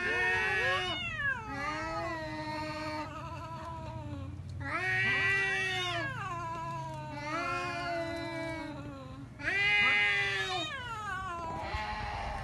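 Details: Domestic cats fighting, nearly continuous loud yowling with wavering pitch, long howls swelling and dipping in overlapping bouts over a low background rumble.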